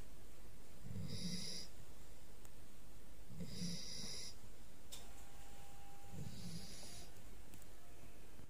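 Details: A puppy snoring: three low, rumbling snores roughly every two and a half seconds, each a short breathy burst with a hissy upper edge, separated by quiet pauses.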